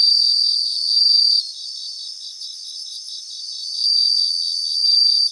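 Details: Bell crickets chorusing in grassland in Japan: a loud bright ringing trill at the start, a softer stretch of rapid regular pulses, then another sustained ringing bout near the end.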